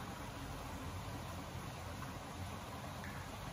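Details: Steady broadband hiss like distant traffic or wind, with no animal sound.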